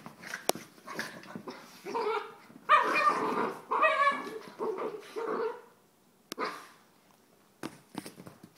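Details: Soft Coated Wheaten Terrier giving a run of harmonic, whining yelps and barks in a small room. The calls bunch together in the middle seconds, with short sharp clicks and quieter gaps before and after.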